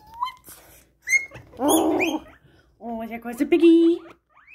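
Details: Excited pet guinea pigs making loud noises indoors: brief rising whistled squeaks and shrill tonal squeals, interleaved with a person's excited exclamations.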